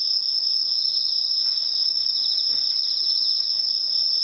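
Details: Bell cricket song rings as an unbroken high tone, with soft rapid pulsing just below it throughout.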